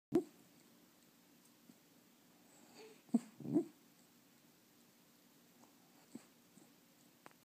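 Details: Shiba Inu dreaming in its sleep beside its owner gives brief, soft, muffled whimpering yips and low huffs, one early and a pair seconds later, in a quiet room with faint rustles.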